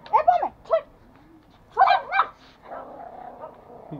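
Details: Angry toy Pomeranian Pomo, a male kept as a pet in Kathmandu, Nepal, attacking: two quick pairs of high, sharp barks, then a whiny growling grumble trailing off, with faint speech nearby.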